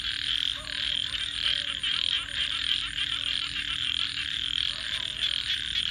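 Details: Night-time frog chorus, many frogs giving fast pulsed high-pitched calls that merge into an unbroken trilling hum, with a faint steady low hum underneath.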